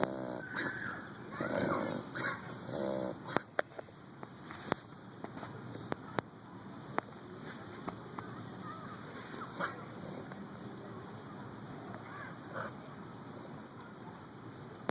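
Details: An English Bulldog sneezes several times in quick succession with snorting nasal bursts, clearing boogers from its nose.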